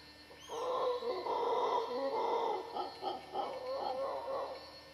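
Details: Howler monkeys in the dry jungle of western Costa Rica: a deep, rough roaring chorus held almost without pause for four seconds, swelling and dipping in loudness, with a faint high bird note near the start.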